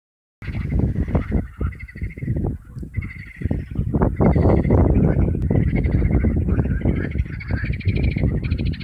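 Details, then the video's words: In springtime at temporary ponds, a dense chorus of frogs gives low, croaking calls that overlap and repeat several times a second. "Springtime, frog calls in a temporary ponds!"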